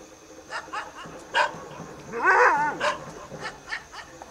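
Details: Striped hyena recorded at Trimbakeshwar in Nasik district, giving one short, quavering harmonic whine of about half a second amid sharp clicks and taps.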